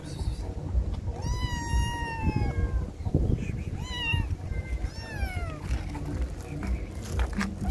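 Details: Hungry kittens and a mother cat being fed, stray cats: several clear rising-falling meows, two long ones then shorter ones around four and five seconds, over low rumbling background noise and faint music.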